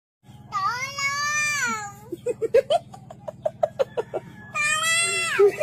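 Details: Little kitten crying loudly, with two long, drawn-out, falling meows at the start and end. Between them comes a run of short, evenly spaced notes, all over a steady low hum.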